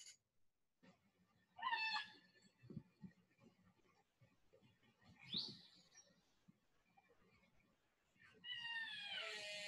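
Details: Orca calls played as a recorded example: bright, harmonic chirps, whistles and creak-like upswept sounds, separated by a few seconds of quiet.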